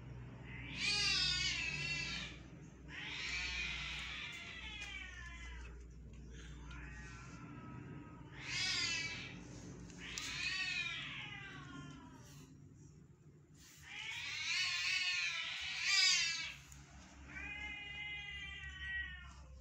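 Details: Domestic cats fighting outdoors on June 10, 2023, heard from inside a home: long wavering, rising and falling yowls and caterwauls in drawn-out bouts, one after another with short pauses, over a low steady hum.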